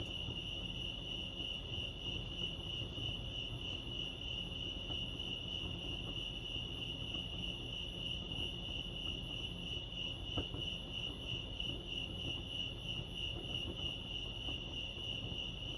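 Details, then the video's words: Chorus of crickets at Lake Arrowhead in California, a shrill, continuous high trill with a fast, gently pulsing texture, about three pulses a second, over low, steady background rumble and one brief faint click. "Serenity sounds crickets chirping lake arrowhead"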